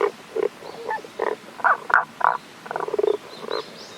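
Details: Tago's brown frog heard from a stream in Kanto, Japan, 1 April 2021, the frog hidden from view; throaty croaks repeat roughly twice a second, broken by a quick rattling burst of rapid pulses before the notes resume.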